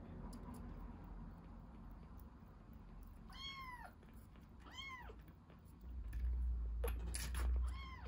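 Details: Rescued young kitten drinking milk, with a few high, arched meows, each rising then falling, and a brief louder low rumble near the end.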